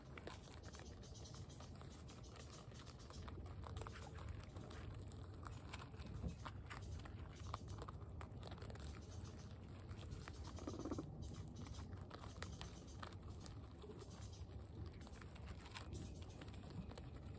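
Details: Two guinea pigs, Latte and Oreo, eating pellets indoors; soft, irregular crunchy clicks of chewing repeat steadily throughout over a constant low background hum.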